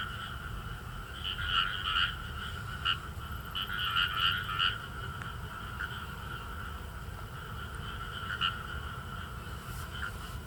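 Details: Frog chorus in rice paddies of northern Saitama, Japan, featuring Indian rice frogs; quieter, more distant clusters of quick repeated croaks over a continuous low hum and background noise.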